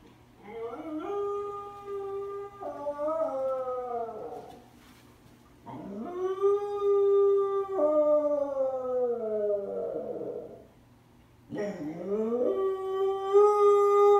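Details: A lonely Corgi, left alone when his owner leaves the house, howls in three long, tonal bouts that waver and slide in pitch.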